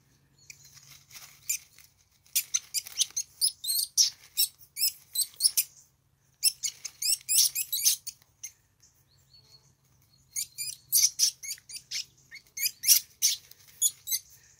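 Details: Two least weasels fighting, so absorbed they ignore the nearby observer: rapid, very high squeaky chatter in dense bursts lasting one to two seconds, separated by short silences, with a faint low hum underneath.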